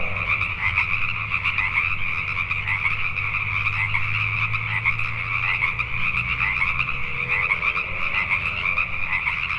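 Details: Nighttime Pacific tree frogs in Richmond, British Columbia, Canada, massed in continuous pulsing croaks; a faint low rumble, with a soft rising tone near the end.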